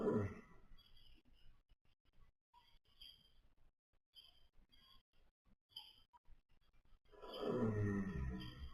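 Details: Young pony asleep at nap time, with a deep, raspy snore at the opening, a stretch of soft breathing and small noises, then a longer rumbling snore toward the end.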